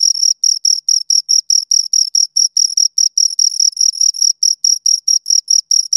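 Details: Crickets giving a continuous series of shrill, evenly paced chirps, around two and a half per second, each a short buzzy pulse train with a faint higher overtone; no other sounds present.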